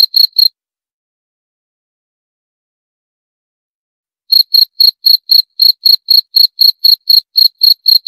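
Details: Cricket chirps briefly at the start, falls silent for almost four seconds, then returns with a run of rapid, high, evenly spaced chirps about four per second.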